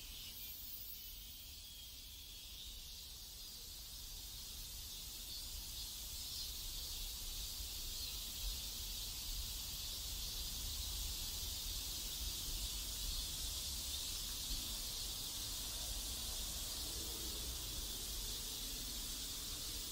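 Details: South Korean neighborhood cicadas give a dense, shrill hissing drone that swells louder after the first few seconds, then holds steady over a low background rumble.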